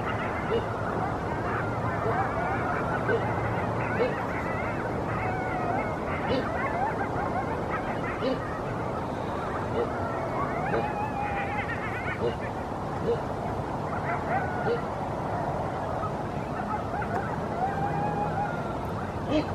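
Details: Coyotes in a chorus before dawn northeast of Murrieta, under a waning crescent Moon and Venus, give wavering howls and quick yips, with a guardian dog adding a low bass line.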